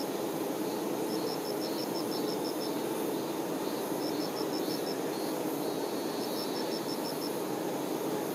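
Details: Continuous low hum from honey bee workers caring for their queen. Three bursts of quick, evenly spaced high-pitched chirps, about eight pulses each, ride above the droning buzz.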